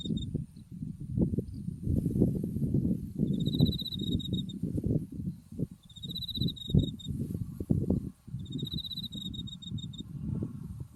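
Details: Autumn insects calling in a white-flowering buckwheat field near Mount Tsukuba, with high, rapid trills repeating about every two to three seconds over heavy low wind rumble and rustling.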